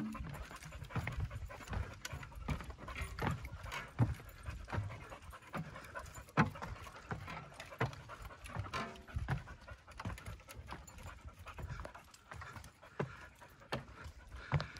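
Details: Steady, rapid huffing breaths, about eighty a minute, from yellow Labrador Retriever Mulan tackling the stairs of the Quarry Rock hike in Vancouver, with footsteps and trail noise underneath.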